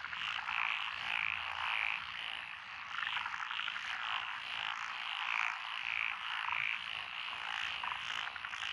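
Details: Rural paddy road in Echizen, Japan, June 2021, where tree frogs, pond frogs and green tree frogs call together: an unbroken dense croaking chorus, individual high notes popping out irregularly.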